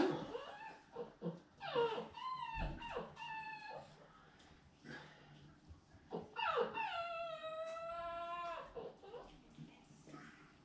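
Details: Fancy's seven-week-old puppies, petted while their pen was changed out on 10/18/2020, give drawn-out whines: brief squeaky cries early, then a long sustained harmonic whine held for about two seconds, with quiet human talk between.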